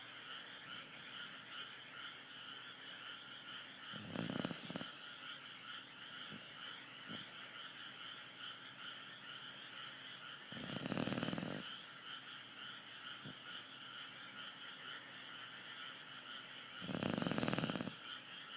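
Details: Steady snoring from a dog: three harsh, vibrating breaths spaced about six to seven seconds apart, with a persistent hum underneath.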